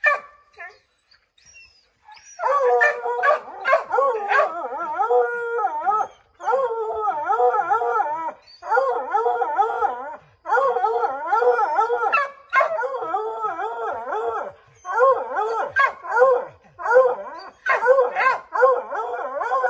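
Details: Five Redbone Coonhounds howling and baying at a chipmunk treed in an oak; a sustained chorus of wavering, overlapping howls in long rolling phrases, with scattered sharper barks, after a quiet opening.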